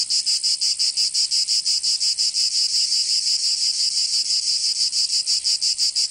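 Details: High, sizzling cicada song on a summer day in Provence, France, pulsing in even beats about three per second, smoothing into a steady drone midway, then throbbing again.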